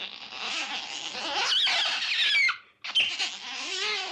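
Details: Otter in the wild giving a continuous, high, harmonic squealing whine for about two and a half seconds. A brief pause follows, then a second wavering squeal with a lower tonal line underneath.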